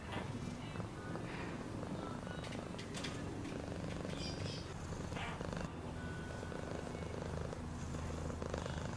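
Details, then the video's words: Domestic cat purring steadily, a deep continuous rumbling throb with fast rhythmic pulses, while faint thin whistles and brief clicks sound in the background. "Cat purring sound"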